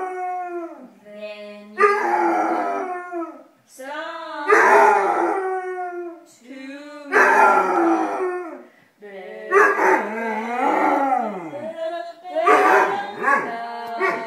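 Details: A Basset Hound howls along to the song "Hey Jude" in long, wavering, mournful notes that rise and fall.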